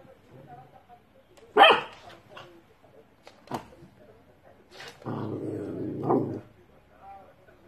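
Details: Dog in a funny pet compilation gives one loud, sharp bark, then a fainter short bark, followed by a longer low rasping sound, with quiet human voices in the background.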